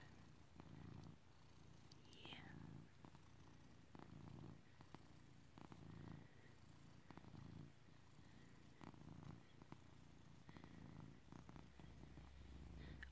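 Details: Tas Cat, a male pet cat, keeps up a low continuous rumbling purr while resting on a bed in a green room, March 2nd 2022, as a person whispers softly nearby.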